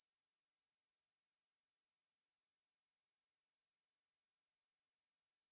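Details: Ruspolia katydid singing in a 2020 recording from Korea's National Institute of Biological Resources: one sustained, thin, high-frequency whir with even loudness and no pauses or other animals.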